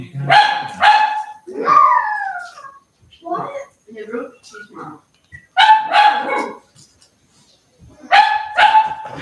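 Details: Cavalier King Charles Spaniel puppies at play inside the house where they are raised: paired high yipping barks open and close the stretch, with a rising whine and soft grumbles between.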